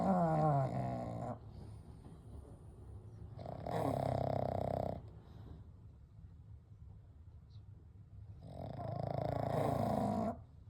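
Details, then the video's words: Three pugs, Kou, Gen and Shun, asleep together at night give gentle snoring and breathing: three long rasping snores, each about one to two seconds, with a faint whistle at the start and soft breaths between. "A Night with Sleeping Pugs - Gentle Snoring & Breathing"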